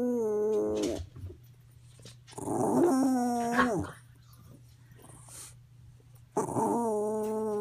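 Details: Roo, a female dog whose medication was increased, produces weird howling song: steady harmonic wails with a rougher, growly middle phrase, separated by short gaps, with a faint hum and small room noises.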